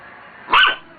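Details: A single sharp, loud bark from Roxy, a female dog puzzled by her reflection in a mirror. It cuts in abruptly after a moment of near silence and fades quickly.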